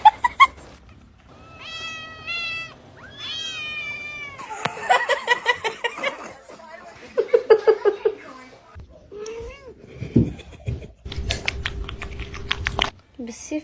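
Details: Domestic cat meowing: a few drawn-out harmonic meows in quick succession, then chatter, laughter and a person speaking over scrappy background music and clatter.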